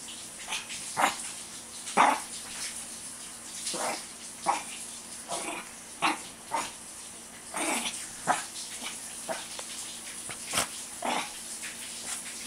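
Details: Short, sharp barks from a Shih Tzu burning off pent-up energy, arriving roughly every half second to second in an uneven run, with scuffling and bumping noises between the calls.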